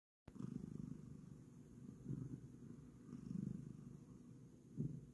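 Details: Bengal cat purring while getting ready for bed and kneading: after a brief silence, a steady low rumbling purr starts and swells gently every couple of seconds, with no other sounds.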